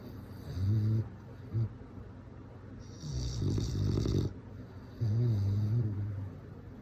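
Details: Snoring bulldog asleep: deep, throaty rumbles with wavering pitch, a short snort, then a long raspy breath and another rumbling snore, all low-pitched and close.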